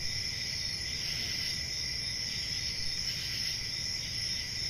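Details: Summer-night crickets in the countryside keep up a continuous shrill, high trill, with a faint lower chirp band beneath and a soft steady rumble underneath.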